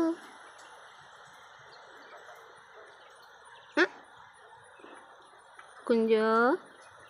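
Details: Pet cat gives a single short meow near the end, rich in harmonics and gently arched in pitch, lasting about half a second. A sharp click sounds midway, and faint steady hiss runs underneath in an indoor setting.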